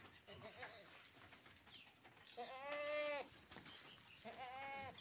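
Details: Two goat bleats from a collector's pen of unusual goats, each a steady, nasal harmonic cry under a second long, separated by a pause, with muffled human voices in the background.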